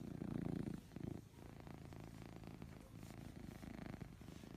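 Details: Ragdoll cat, a house pet, snoring while fast asleep indoors: soft, low, rasping breaths in uneven puffs, louder at the start and then quieter and steady.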